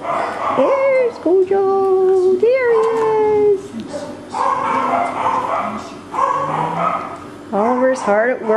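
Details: Young male Cockapoos, four brothers, filmed 18 April 2014, letting out drawn-out whining whimpers that rise, hold steady, then sweep up again, with several overlapping puppy voices and brief gaps between them.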